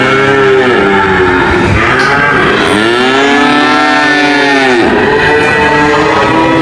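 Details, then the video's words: Cows mooing in a compilation of funny cow footage: long, drawn-out moos that rise and then fall, overlapping one another, with a second low moo swelling in the middle and a constant background din throughout. "cow mooing sound"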